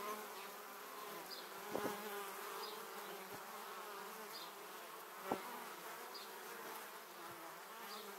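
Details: Swarm of honey bees flying toward their beehive, passing a 360-degree camera at close range in 2017: an even, dense drone of many wings, with two quick nearby fly-bys near two and five seconds.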